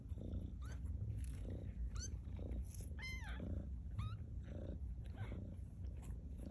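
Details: Two-week-old kittens of Maude, at Baystate Animal Cooperative, learning to walk; thin, high mews rising then falling, about five spread over six seconds, over a steady low rumble of handling and background noise.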